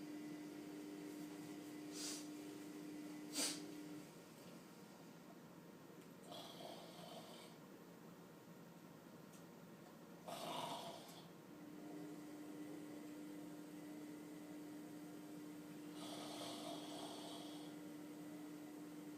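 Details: Afghan Hound snoring loud indoors: rough, breathy snores come in bursts a few seconds apart, separated by quieter stretches with a steady faint hum in the room.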